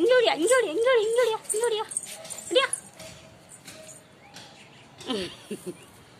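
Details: A 40-day-old Labrador Retriever puppy playing with a rope: high, wavering whines and yips fill the first second and a half, a sharp yelp follows, then a few short squeaks near the end. Human voices and room noise sit underneath.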